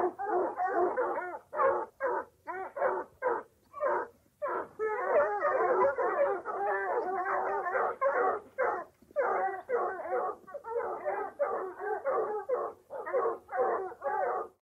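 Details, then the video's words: Excited barking and baying from dogs hunting or chasing: separate yelps give way to a dense, nearly unbroken stretch of overlapping howling barks, then return to spaced yelps. "Dog Hunting Or Chasing Sound Effect"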